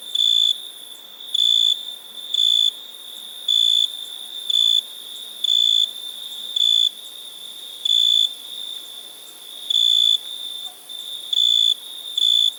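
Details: A cricket gives about a dozen short, piercing, even-pitched chirps at irregular intervals of roughly one second, over a soft unbroken high ringing background.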